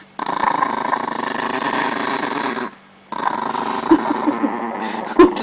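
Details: Aggressive Chihuahua indoors growling while guarding pancakes: a long, rough, continuous rumbling growl broken by one pause of about half a second, then resuming with brief yelps; no speech over it.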